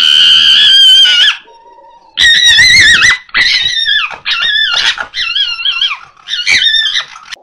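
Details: Two female foxes, Rosie and Rubie, give harsh, wavering screams repeated in bursts on a noisy night in 2024 as they start calling for a male.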